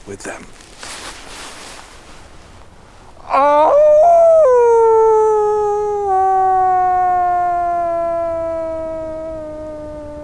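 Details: Wolf howling after a few seconds of narration: one long, loud, sustained tonal howl that rises briefly at the start, then falls slowly and steadily over about seven seconds, with strong harmonics.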